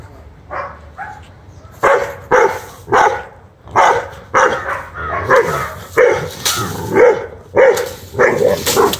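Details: Angry one-year-old Rottweiler confronting and fighting a monitor lizard, barking in loud, harsh bursts, about a dozen barks over nine seconds at uneven intervals, with faint voices nearby.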